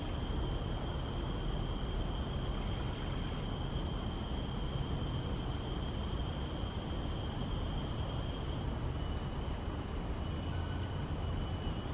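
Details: Steady loud broadband rushing noise, like wind or traffic, with a faint high whine and no clear animal voices.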